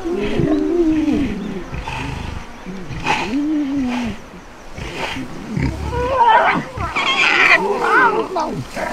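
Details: Lion cubs whining and begging for milk as their mother stops nursing them on safari; repeated wavering, rising-and-falling nasal whines, some drawn out, overlapping one another, with soft rustling between calls.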